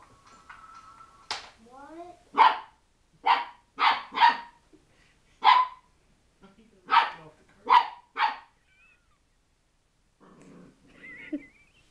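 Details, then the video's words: Fluffy 10-week-old corgi puppy, indoors, getting mad at the hardwood floor after chasing a bouncing cat-toy string: about eight sharp, clipped barks in quick bursts, with human voices and laughter before and after. "gets mad at the floor"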